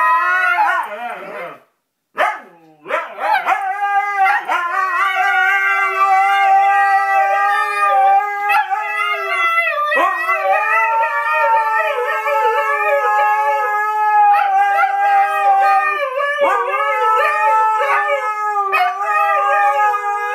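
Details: Husky, pet dog, vocalizing loudly in a long, wavering howl. A rich harmonic tone slides and wobbles near a steady pitch for about twenty seconds, broken by a brief silence and a few sharp breaks near the start.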